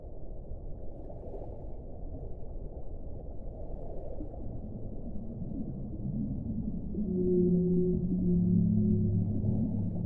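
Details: A whale sings near the end: several low sustained tones that shift slightly in pitch and overlap. Earlier there is only a dense low rumble, which grows louder as the calls begin.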